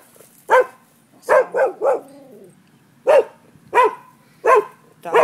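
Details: Dogs barking at noon next door, reported as nuisance behaviour: sharp, mid-pitched barks in uneven groups, a single bark, then a run of three, then steady single barks about every three quarters of a second.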